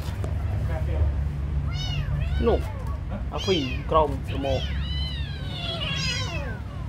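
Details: Kitten being given food calls repeatedly, a run of bright arched meows bunched in the second half, some overlapping, with a low background drone.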